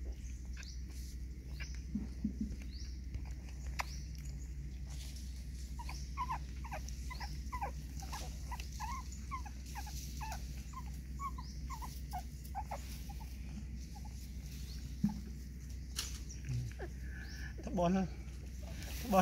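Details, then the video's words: Puppies being fed give a run of short, high whimpering squeaks, quick and uneven, clustered mainly through the middle stretch, over a steady low hum with scattered clicks and handling noise. "Save poor puppies,feeding puppies"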